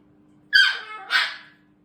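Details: Shiba Inu giving the strange screaming sound these dogs use from puppyhood to talk to their mothers: two loud, high, harmonic yelps, the first sliding downward, the second a shorter burst, indoors with a steady low hum.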